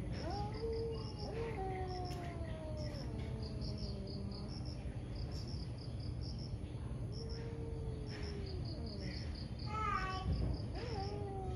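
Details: Morning fight between two angry cats, heard as faint, wavering moans that bend up and down, with a sharp rising cry near the end, set against low background noise and repeated high chirps.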